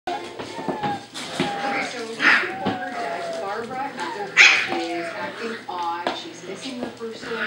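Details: Five-week-old Samoyed puppies from Snowstar, several together indoors, giving thin high whimpers and squeaky whines that rise and fall, some short yelps in between, with a person talking over them throughout.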